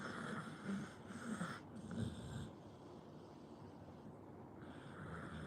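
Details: Sleeping Pit Bull snoring: rough, snorting breaths repeat about once a second for the first two and a half seconds, then fade into quieter, steady breathing noise.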